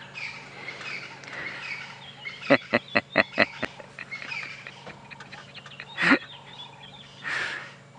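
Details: Tree squirrel in a tree taunting and shouting at the leopard Hosana after running along a branch toward him, Djuma Game Reserve, sunrise drive in January; a burst of about six sharp rapid clicking chatters, then a louder harsh call and softer chirps.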